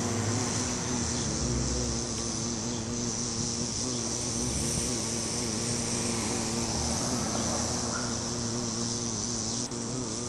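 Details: Steady humming buzz of a bee at a flower, its low tone gently rising and falling without a break, backed by a bright constant hiss.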